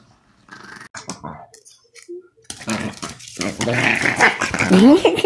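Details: Angry dog indoors: after near-silence, harsh noisy growling with snarling bursts builds and grows louder toward the end, mixed with a person's voice and music.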